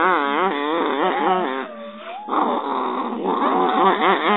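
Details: Digit, a very friendly and cuddly dog, makes continuous wavering, moaning vocal sounds that rise and fall in pitch, with a brief quieter dip midway before the grumbling resumes.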